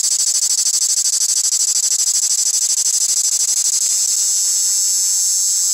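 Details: Cricket calling live, a piercing high-pitched pulsed trill repeating several times a second at an even, steady rhythm, with the pulses blurring slightly toward the end.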